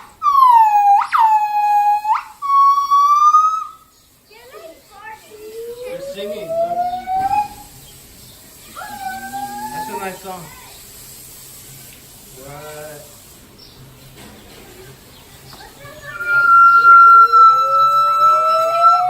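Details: Gibbons at Los Angeles Zoo, behind a double layer of mesh, their calls echoing through the zoo: loud, pure whistled notes sliding up and down, with long held tones at the start and end, softer rising whoops and human voices in between.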